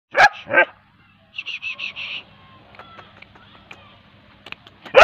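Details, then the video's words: Bull terrier barking: two sharp, harsh barks open, followed by a quick run of four short, high, squeaky yelps, a quiet stretch with faint clicks, then one more loud bark at the end. "bull terrier kid dog barking"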